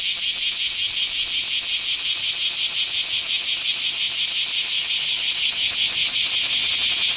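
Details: Bear cicada in a small park, 24 July 2026, delivering a strident metallic buzz chopped into quick regular throbs, around 167 per minute, swelling slightly louder in the final seconds.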